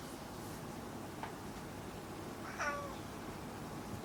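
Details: Kuri, a pet cat indoors, talking to its owner: a single short meow with a rising then falling pitch, quiet and brief, over a faint steady background hiss.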